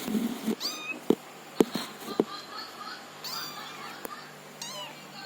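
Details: Kitten, apparently orange, learning to walk, giving a few faint, thin, high meows with rising-falling pitch, mixed with sharp clicks and knocks of movement over steady background hum.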